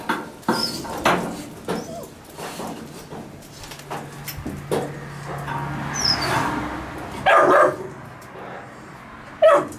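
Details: Puppies with a dog named Gunnar in a kennel; scattered short yips and barks at irregular intervals, a few louder high whimpering cries near the end, over a low steady background hum.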